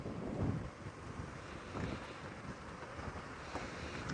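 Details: Only wind buffeting the microphone and low engine rumble are heard, with no animal calls.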